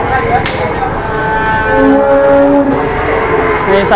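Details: Cattle that turned wild right after being unloaded from a truck in Indonesia, giving a long, steady low moo with stacked harmonics lasting over a second, amid crowd chatter and outdoor noise.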